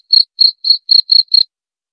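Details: Short burst of cricket chirping for sleep relaxation and rat repelling: six high clear chirps in quick succession, then silence.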